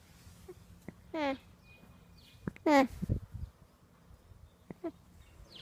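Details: A young alpaca at an alpaca farm in Uckfield gives short, nasal, humming calls, each a brief rising-and-falling bleat; described as needy.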